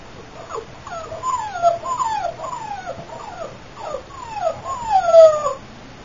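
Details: Female AKC Boxer puppy from champion lines whimpering: a run of high, thin whines that slide downward, each under a second long, coming one after another with short gaps and louder near the end.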